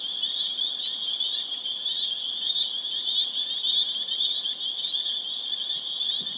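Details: Chorus of spring peepers in Harvard, Massachusetts, April 27, 2011: countless high-pitched peeps overlapping into a continuous shrill tone, individual calls pulsing through at a quick, uneven pace.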